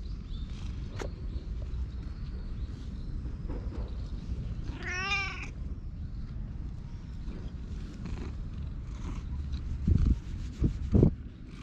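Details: A community cat living as a stray in a park in Japan gives one short meow that rises and then falls in an arched contour. Steady low outdoor hum throughout, with a few dull knocks near the end.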